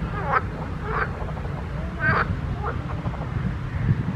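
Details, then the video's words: Several croaks from frogs in a pond: short harsh bursts about every half second to second, fading toward the end, with a low background rumble. "grenouilles chantes croasses leurs mélodies des grenouilles dans un etand d'eau"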